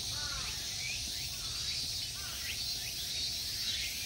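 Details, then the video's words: Steady, high-pitched buzzing of summer insects in the Ikegami Honmonji temple park, Tokyo, Japan, never pausing; scattered thin, curved bird chirps sound faintly underneath. "Summer insect sounds."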